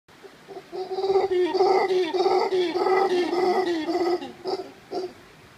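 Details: Howler monkeys in the Monteverde Cloud Forest, Costa Rica: a rough, throaty roaring howl in pulsing bursts about two per second, lasting around four seconds before trailing into a couple of short grunts.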